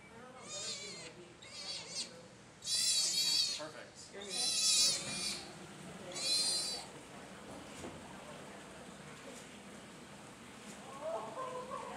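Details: Orphaned female southern sea otter pup arriving at Shedd Aquarium, meeting her new family: high, harmonic squeals in short bursts, several loud ones mid-clip, with people talking softly in the background.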